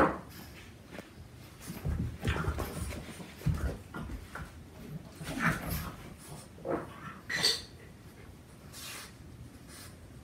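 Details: Boston Terrier puppy Bruno, four months old, wrestles and nips at four-year-old Waldo; gruff growls, huffs and brief whimpers rise and fall in uneven bursts over scuffling noises.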